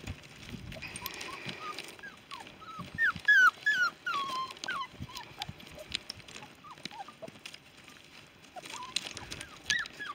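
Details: Five-week-old Giant Schnauzer pups, all females from one litter, give bursts of thin squeaky whines and yips, several voices crowding together, loudest and sharpest in the middle, then trailing into scattered softer whimpers.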